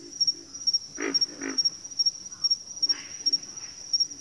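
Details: Frogs calling in a backwater chorus: short, rough croaking pulses in pairs and clusters, with a steady high-pitched whine running through the background.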